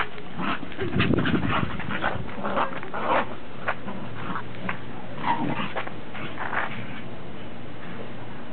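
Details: Domestic dogs, Pembroke and Cardigan Welsh Corgis with a Cairn Terrier, recorded 30 December 2006; soft whimpers and short yips come in irregular bursts over a low steady indoor hum.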